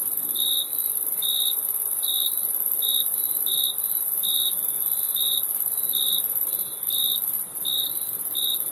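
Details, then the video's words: Steady cricket chirping, brief high pulses spaced under a second apart, layered over a constant shrill background drone of other insects. "Crickets Chirping Sound"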